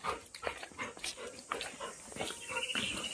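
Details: A pet Labrador Retriever, startled by a family member at home, gives short broken whimpering yelps and breathy bursts in quick irregular succession, with faint household noise behind.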